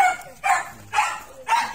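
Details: A dog barks while a Miniature Pinscher and an American Bully meet: three quick, bright barks spaced about half a second apart over a faint constant hum.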